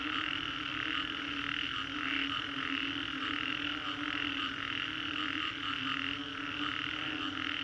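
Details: Frogs calling after a storm along the Green Corridor in Singapore, a dense, unbroken chorus of overlapping rapid croaks and trills forming a bright shimmering wall of sound, over a steady low droning hum.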